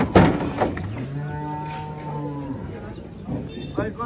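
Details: Cattle at Gabtoli cattle market, Bangladesh, during unloading: a low, even moo held for over a second, preceded by knocks and followed by brief clatter and a short higher call.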